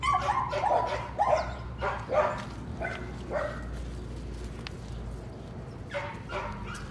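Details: Patterdale Terrier puppies, among them Cricket, a little black female, working rats in a puppy pen at night. Sharp, high yips come in quick bursts about every half second, then fade into softer scattered yelps over a low steady hum.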